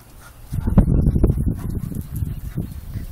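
A Weimaraner gives low, throaty grumbles and soft whimpers in an uneven run of short bursts.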